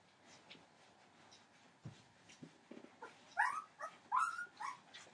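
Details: Entlebucher Mountain Dog puppies, 15 days old, from a litter born 28 December 2013, indoors; soft scattered squeaks give way to a run of high, wavering whines and whimpers rising and falling in pitch over the last two seconds.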